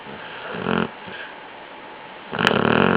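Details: A sleeping basset hound snores in rough, rattling bursts separated by quiet pauses.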